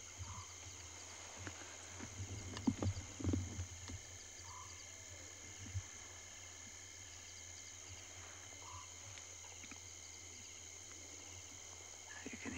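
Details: A steady, high trilling chorus of crickets at nightfall at Djuma Private Game Reserve, Sabi Sand, greater Kruger area, South Africa, 9 May 2020, with a soft low purr repeating every few seconds.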